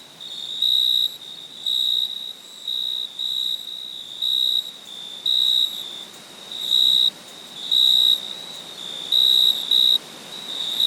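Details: Steady rhythm of high, ringing cricket chirps at night, about ten short bursts spaced roughly a second apart, each an unwavering shrill tone, with quiet hissing noise underneath.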